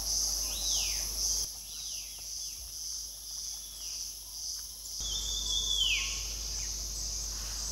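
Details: Cicadas drone loudly in a steady, shrill, high buzz at Motidhar forest, India, while a Rufous Sibia, freshly bathed and among preening White-throated Laughing Thrushes in a thicket, adds clear, downward-slurred whistles.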